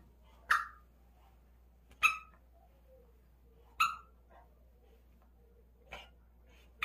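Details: A dog excitedly playing with a ball lets out single clipped barks, about one every one and a half to two seconds. Quiet shuffling fills the gaps between them.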